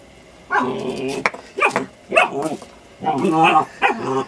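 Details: Young German Shepherd pup going after a half brick, producing bursts of rough, harmonic growling barks roughly every half second to one second, with human voices mixed in.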